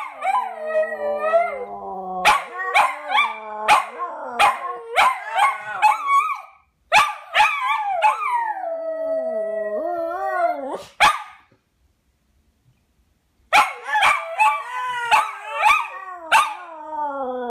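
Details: Two dogs, Fred and Barney, singing a duet: long wavering howls layered with bursts of sharp yelps, a sustained howl gliding downward near ten seconds, a silent gap of about two seconds, then yelping howls resume.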